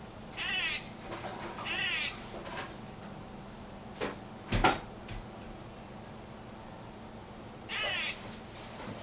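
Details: Squirrel that visits a yard every day, suddenly making strange noises: short harsh rasping bursts with rippling upper tones, about two in the first two seconds, a few soft clicks, then another burst near the end.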